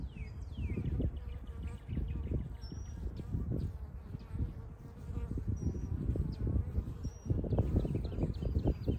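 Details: Western honey bee hive in spring 2023, Ohio, bees warming in the sun as foragers bring maple nectar and pollen; dense low humming buzz rising and falling with passing bees, thin high bird notes faintly behind.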